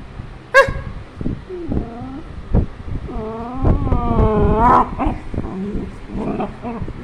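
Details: A Beagle named Rani gives a sharp bark, then a run of drawn-out, wavering whines and howl-like yowls that bend up and down in pitch, with low rumbling background noise throughout.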